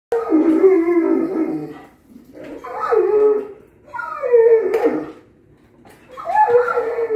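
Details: Giant Alaskan Malamute dog, male, excitedly vocalizing before dinner: three drawn-out, wavering howl-like moans, each about one and a half seconds, with harmonic warbles and short pauses between, in a quiet indoor setting.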